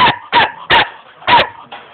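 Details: Young German Shepherd dog in Jamaica barking: four sharp, loud barks spaced about a third to half a second apart, then a softer fifth bark, with quiet room noise between.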